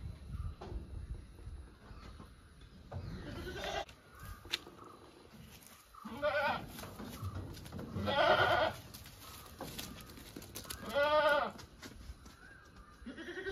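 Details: Goats kept as domestic animals give four or five short tremulous bleats spaced a few seconds apart, with steady low background hum between calls.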